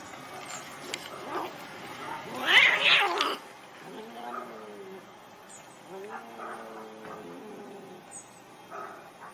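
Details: Angry domestic cats fighting over territory: a loud harsh outburst, then long low wavering yowls rising and falling in drawn-out moans, with quieter scuffling noises between them.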